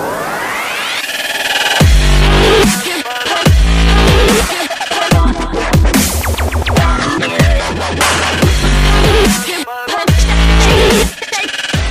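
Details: Loud electronic dubstep music with heavy pulsing bass and sweeping synth sounds, with no animal voice heard.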